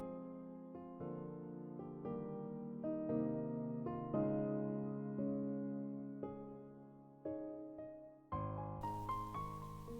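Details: Soft keyboard music plays throughout, chords changing every second or so, with no animal voice audible.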